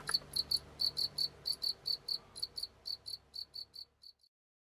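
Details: Domestic house cricket kept at home, giving evenly spaced shrill high chirps a few per second that weaken and fade out near the end, over a quiet indoor background.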